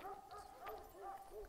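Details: Kangal shepherd dog Zalim, stranded on rocks, whines in a string of rising-falling, tonal yelps, about six in quick succession, with faint background hiss.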